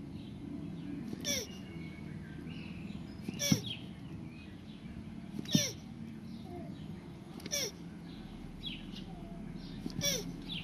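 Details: Land tortoises mating: a short squeaky cry with a bent tone repeats about every two seconds, each with a sharp broadband click, over a steady low rumble and faint bird chirps in the background.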